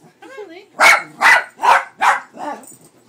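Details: Pet dog barking, afraid of the cat picture on a cat food bag; four sharp, loud barks about half a second apart, then a softer fifth, following a person's voice calling.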